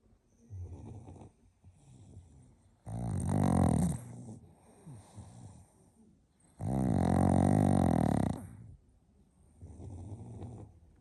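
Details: Sleeping pug's loud snoring: two long, grating, rattling snores about four seconds apart, separated by quieter snuffling, wheezy breaths.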